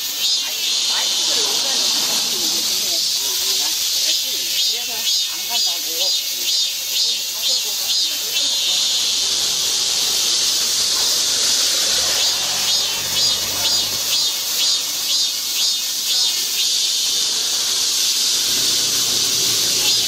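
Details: A steady, hissing midsummer cicada chorus in a park in Guro-gu fills the air with a bright, high buzzing drone.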